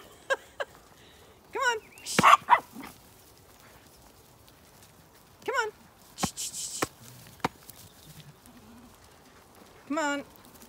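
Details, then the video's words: Zwartbles lambs calling at morning breakfast feeding on a regenerative farm in County Kilkenny, Ireland, early summer: three separate wavering, quavering bleats spaced a few seconds apart, with sharp clicks and bangs and brief rustling between. "Had many lambs chat to me this morning while they breakfasted"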